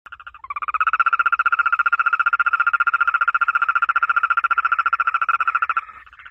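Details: A frog by water in the rain gives one long, even trill of rapid pulses, held steady for about five seconds.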